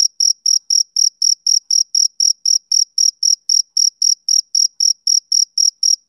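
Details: Rhythmic, high, piercing chirps from a male cricket, each brief pulse evenly spaced at roughly four per second, with a thin upper overtone and complete quiet otherwise.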